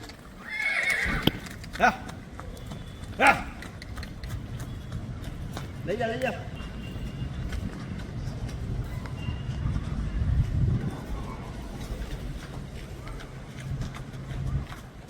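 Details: Seven-month-old home-bred colt with white hind legs and a stripe, whinnying: a loud, harsh burst in the first second and a half, shorter voiced cries near three and six seconds, then hoof thuds with men talking nearby.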